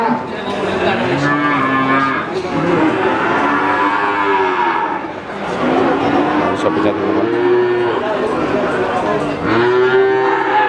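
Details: Cattle lowing at Pasar Sapi Wagenan in Pati, a cattle market: repeated long, rich moos, several rising then sagging, across a busy background of people talking.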